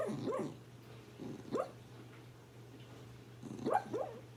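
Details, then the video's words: Sleeping dog dreaming, giving soft muffled yips and whimpers in small bursts, rising and falling in pitch, a few clustered near the start and end, with a constant low electrical hum behind. "Doggo makes dream sounds"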